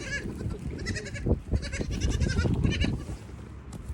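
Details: Young goats running and jumping about at evening feeding time for the mothers; short bleats come in quick bursts amid loud thumps and scrambling hoofbeats.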